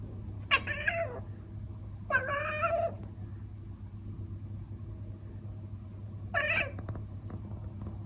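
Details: Elsa, a Traditional (Old Fashioned) Siamese cat in the Netherlands, chattering indoors at a bird behind the window she cannot catch: three short, nasal, stuttering mews spaced seconds apart over a steady low hum.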